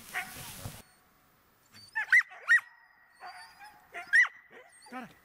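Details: Border Collie during search and rescue training, outdoors: after a brief human voice at the start, a few sharp, high barks come around two and four seconds, separated by short quiet gaps and softer yelps.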